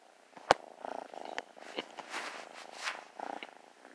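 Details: New kitten snuggling up, close rumbling purr broken by a loud tap and rustling handling noises.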